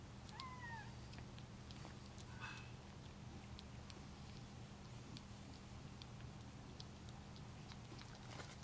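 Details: Indoors, during their first taste of salmon, Bengal kittens let out one brief, falling meow at the start. Soft clicks and eating noises follow against a constant low electrical hum.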